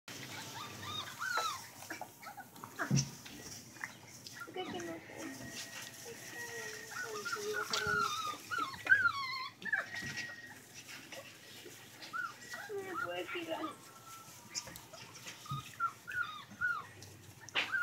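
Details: German Rottweiler puppies whine and yelp in thin, high, wavering squeals, with human voices in the background.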